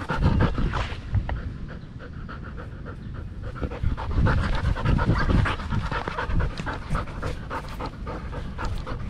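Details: Belgian Malinois dog in the Philippines panting during a game of fetch: fast, rough, rhythmic breaths, roughly four per second, noisy and unvoiced, with slight surges in loudness and no other clear sounds.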